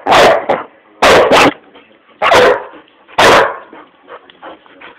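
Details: Indoors during a living-room 'maddy', Old English Sheepdog Hamish gives four loud, harsh barks spaced about a second apart, some doubled, followed by softer grumbling noises in a quiet room.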